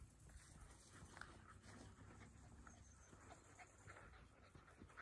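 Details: Felix, a 12-year-old Jack Russell Terrier on a walk in nature, recorded on an iPhone 11: soft, quick, breathy panting puffs run steadily through the whole stretch, quiet against a faint background hiss.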